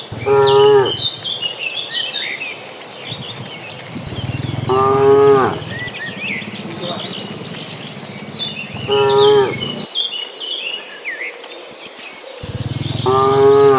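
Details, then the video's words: Dozens of cattle migrating toward a green pasture, one moo ringing out about every four seconds, four in all, each a steady tonal low call. Birds chirp and insects buzz high and busy between the calls. "Suara sapi lucu riang gembira"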